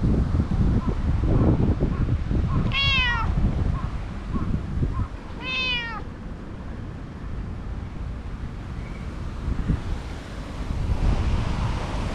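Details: Stray cat that emerged beside a jogging course, being petted and climbing onto a lap; two drawn-out, arching meows, rich in harmonics, near three and six seconds apart, over steady low rumbling outdoor background noise.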